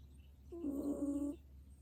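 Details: Snore from an old dog in deep sleep: a single tonal, slightly wavering whistle of under a second, fairly loud against a faint steady background hum.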